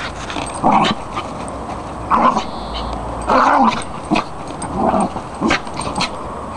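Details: Several West Highland White Terriers playing together: a series of short, rough, grumbling vocal bursts come at irregular intervals, about five in six seconds, with faint scuffling and clicking between them.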